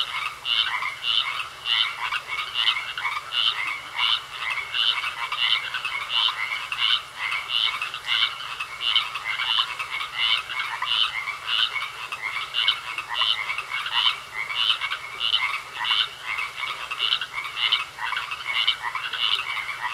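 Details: Frogs croaking in a pond, a steady chorus of short raspy pulses at roughly one and a half per second, irregular and overlapping throughout, with a faint continuous hum.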